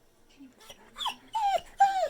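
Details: Pet pit bull grumbling back at its owner: soft mutters building into two louder drawn-out whines that droop in pitch, each with rich overtones, in a quiet room.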